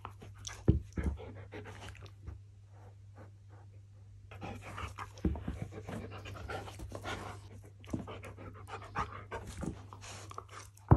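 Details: Pet Siberian Husky panting in quick, breathy bursts, pausing briefly before resuming with irregular huffs and a few sharper puffs of breath, over a constant low hum.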